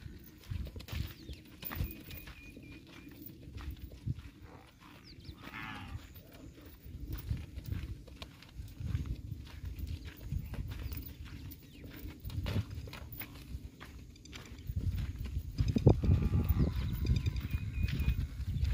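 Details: Tharparkar cow at a dairy farm in Gujarat, India, giving a low, drawn-out moo with steady deep tones, growing louder over the final few seconds amid scattered farmyard clatter and rustling.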